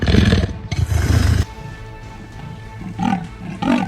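A leopard gives two deep, harsh, rasping roars, followed by quieter rumbling tones.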